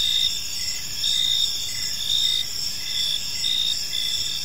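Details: Gentle cricket chirping fills an evening park, shrill continuous trills stacked at several pitches, with louder bursts recurring about every second and a soft low background murmur.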